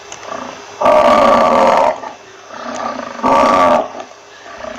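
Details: Buffalo producing two short, loud, moaning calls about one second long, separated by a quiet stretch with soft background murmurs.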